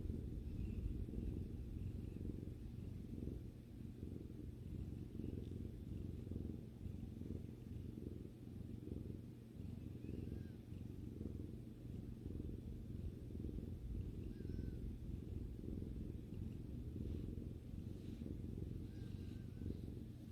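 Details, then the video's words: Domestic cat relaxing with its owner, giving a long unbroken purr: low, fast-pulsing rumble rising and falling with its breathing, plus occasional faint soft squeaks and rustles in the room. "さくらさんのゴロゴロ音を聴きながらまったりする動画 Video that relaxes while listening to the cat's rumbling sound"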